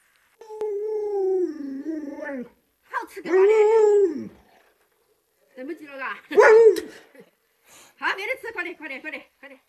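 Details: Pet Alaskan Malamute named Luoluo gives long, wavering tonal howls lasting about two seconds each, sliding up and down in pitch, in several bursts split by brief silences; the later bursts turn choppier and almost talk-like.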